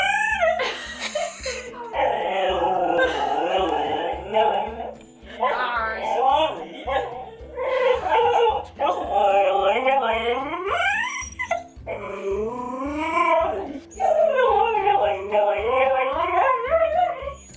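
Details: Pet dog indoors making strange vocal noises while waiting for his food: wavering, whine-like tones that rise and fall in drawn-out bursts, separated by short pauses, over steady background music with a beat.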